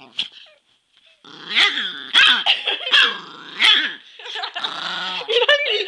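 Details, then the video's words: Angry Chihuahua growling and snarling in rough, wavering bursts, broken by sharp yips and short barks about once a second, with a human voice mixed in. "Mad Chihuahua"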